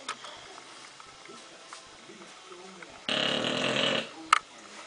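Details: An English Bulldog with sleep apnea sleeps quietly, then gives a single harsh, rasping snore lasting about a second after near silence; a sharp click follows shortly after in an otherwise still room.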